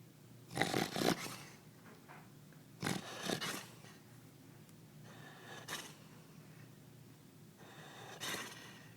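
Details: Rocky, a black Labrador retriever, passed out upside down on a couch and flapping his cheeks, gives breathy, rasping snores in four separate bursts, each about half a second long, in a quiet small room.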